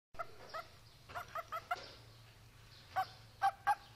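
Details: A "barking" frog, apparently in Kungrad, Karakalpakstan, gives short, harsh bark-like notes, singly and in quick pairs, at irregular intervals.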